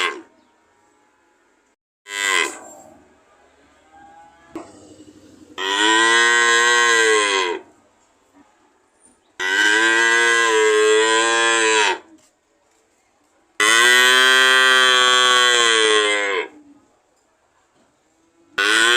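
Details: Cow bellowing in long, resonant moos, three of them around two to three seconds each, dropping slightly in pitch at the end, with a brief sharper call before them.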